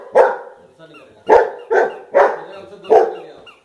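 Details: Domestic golden retriever reacting to a toy with five loud, abrupt barks, two close together in the middle, over quiet background music.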